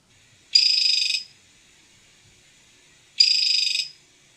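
A poison dart frog gives a high, rapid trill of squeaky pulses, its males' courtship call.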